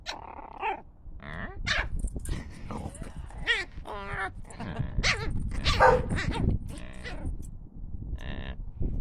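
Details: Eight-week-old Deer Head Chihuahua-Scottish Terrier puppy playing with a big black German Shepherd and its sister: yips, playful growls and short barks in bursts; dog.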